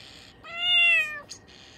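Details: Six-month-old female Bengal cat sitting at a window, calling at birds outside: one loud, clear, slightly rising then falling tonal meow-like chirp lasting under a second, with a soft click after it.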